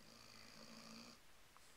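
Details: An 11-month-old Weimaraner, asleep on the couch after playing at the dog park and very tired, gives one low, buzzy snore lasting about a second, then falls quiet.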